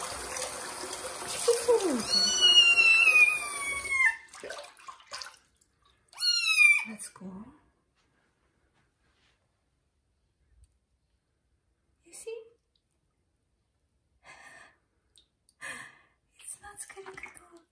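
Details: Kitten meowing loudly during its first bath, indoors in a bathroom: a long, high, wavering meow that falls at the end, then a second shorter, bending meow, followed by quiet with faint scattered splashes.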